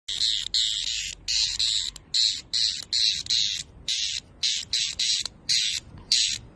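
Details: Screaming cicada giving a loud, harsh, hissing buzz broken into short bursts, roughly fifteen pulses in quick succession at about two per second, each a dense high rasp with brief gaps of quiet between.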